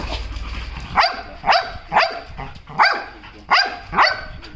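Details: Belgian Malinois named Lukcy during a dog-training target session, giving six loud, sharp barks in about four seconds at uneven intervals, each a short harsh burst, with low background rumble before the first bark.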